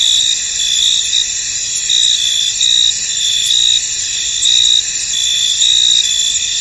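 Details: Cricket chorus from a fog-covered field: continuous high-pitched shimmering trills, louder chirp bursts swelling in and out about once a second over an unbroken insect drone.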